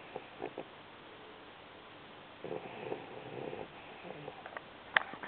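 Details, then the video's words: An 8-week-old Vizsla puppy named Aginka snoring: short huffy breaths at first, then a longer raspy drawn-out snore, followed by a sharp click and a few quieter breathy puffs against faint room hiss. "Snoring Aginka"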